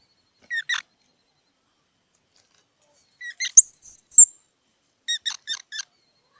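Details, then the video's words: Squirrel calling with brief high squeaks: a lone pair, then a cluster with thin rising whistles after a long gap, and finally a quick run of four sharp ticking notes. "សំលេងដង្ហែន Squirrel 🐿️ Sound"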